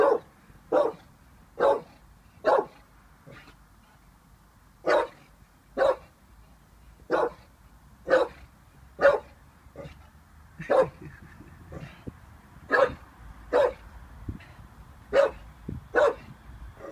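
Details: Wary of a balloon, Vinnie the 18-month-old Staffordshire Bull Terrier keeps up about twenty short, punchy barks, mostly a second apart with a few brief pauses, in an otherwise quiet indoor space.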